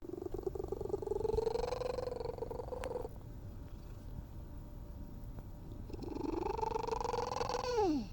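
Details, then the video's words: Stray cat making strange purring sounds: a rough, droning purr with a wavering tonal hum layered over it, fading in the middle and returning, ending in a falling whine; close and quiet. "Stray cat makes strange purring sounds."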